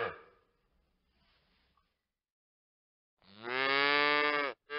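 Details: Veal calf giving one long, loud, strained bawl lasting over a second, preceded by a faint rustle and soft low sound, then the start of another bawl.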